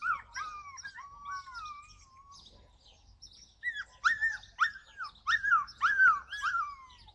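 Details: July 2020 recording of a Yakutian Laika: a few drawn-out falling whines open the clip, then after a pause a run of loud, sharply arched yelps repeated roughly twice per second.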